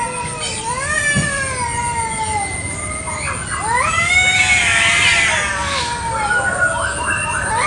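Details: Village cats fighting over territory in a garden one morning: long wavering yowls that slide up and down, building to a louder, strained howl midway, then falling into drawn-out moans.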